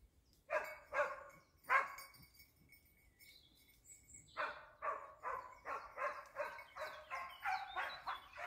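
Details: Dachsbracke barking while being trained on wild boar: three barks, a short pause with thin bird notes, then a steady run of about nine barks spaced roughly half a second apart.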